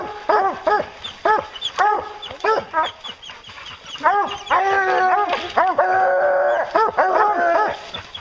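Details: Bear-hunting hounds bark in spaced single yelps at first. These build into a crowded chorus, with drawn-out, steady bawling notes mixed among the barks toward the end.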